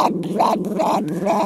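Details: Cairn Terrier indoors that growls at almost anything; a hand on its throat makes the sound duck-like. Continuous low rumbling growl, wobbling into quacking pulses about twice a second.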